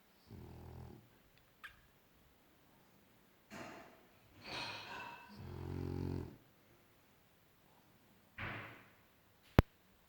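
A French Bulldog snores in low, rumbling breaths with pauses between them.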